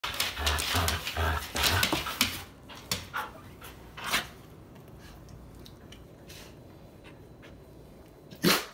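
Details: Old English Sheepdog playing tug with a rope toy indoors: scuffling, tugging noises and a few snorts, then a quiet stretch ending in one sharp, explosive sneeze.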